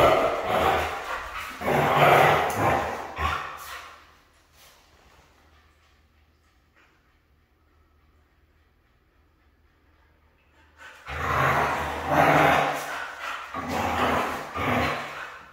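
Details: Siberian husky, described as hard to train, gives two loud bouts of rough, drawn-out vocalizing about three and four seconds long, separated by a quiet gap of roughly seven seconds.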